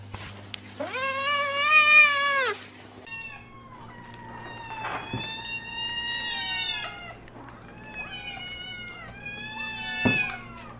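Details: Domestic cat opens with one loud, long, wavering meow, followed by a run of shorter, higher, chirping mews that rise and fall over a low background hum.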